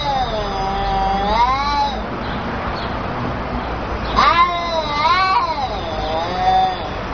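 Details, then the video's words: Very angry cats caterwauling; long, wavering, rising and falling yowls that swell and drop in continuous drawn-out wails, with a sharper rising cry partway through. "Very Angry Cats"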